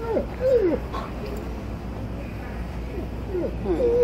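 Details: Alaskan Malamute crying and complaining while shopping, giving short high whines that slide down in pitch, a cluster at the start and more near the end, with a person speaking and a low background hum.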